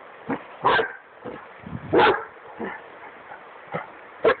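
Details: Barking Dogo Argentino during a duck hunt along the Drina River in Bosnia and Herzegovina's Republic of Srpska; six uneven barks of mixed strength, two louder ones standing out, with fainter yips and a low hum behind.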